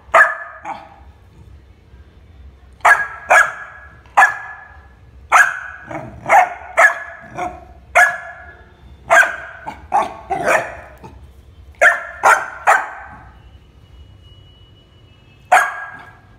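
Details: Labrador Retriever puppy Shiro barks persistently, around twenty sharp barks in irregular clusters, some in quick pairs, tapering to a single bark after a pause near the end.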